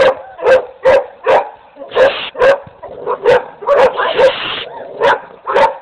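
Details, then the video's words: Rapid dog barking, about two barks a second, each a short sharp burst, with brief hissy noise bursts mixed in between barks. "Dogs barking"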